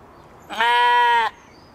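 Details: Katahdin sheep on a Michigan homestead, playing and running about one evening, gives a single loud, steady bleat lasting under a second. It is a rich, nasal, evenly held cry with a faint quiet rural background.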